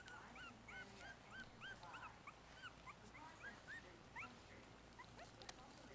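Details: Five four-week-old Yorkshire Terrier puppies eagerly eating a mix of puppy milk and ground puppy food from a dish; thin, high, arched squeaks and whimpers come in quick overlapping series, several pups at once, with faint background murmur.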